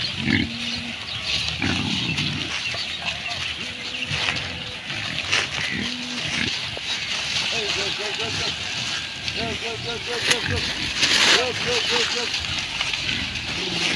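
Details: Pigs on a village farm in Bangladesh give short low grunts, then a run of quick repeated nasal calls in the middle, with people talking and steady rural background noise throughout.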